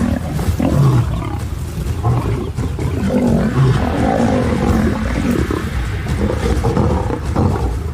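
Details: A lioness turns on her sons within the pride: continuous deep, rasping growls and throaty snarls, thick low rumbling that barely pauses across the whole stretch.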